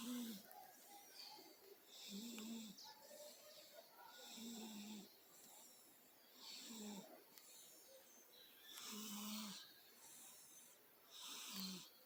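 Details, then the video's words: Female cat asleep and snoring, rhythmic wheezy breaths roughly every two seconds, each a short buzzy rasp followed by a breathy hiss, with quiet room noise underneath. "Gata roncando"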